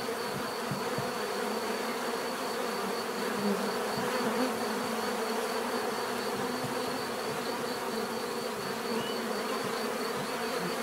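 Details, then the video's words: Bees humming together in a continuous, even drone, thick low-mid tones holding steady throughout with a thin high whine running over the top, no other clear sounds. "bees therapy relaxing natural buzzing sound"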